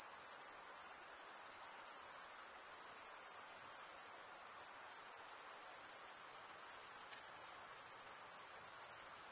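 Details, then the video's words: Crickets chirping at night in a summer forest, many insects together: a steady, high, shimmering trill that never breaks, forming a dense continuous wall of sound with no other voices or noises. "Pure cricket music for 20 min"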